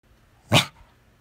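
A Corgi gives a single short, sharp bark against a quiet background.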